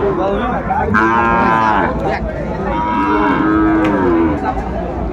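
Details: Sahiwal bull calf at a livestock market (haat) in Sylhet, Bangladesh, on 16 December 2024. Two separate drawn-out harmonic moos, each about a second long, rise and fall over steady crowd chatter and market bustle.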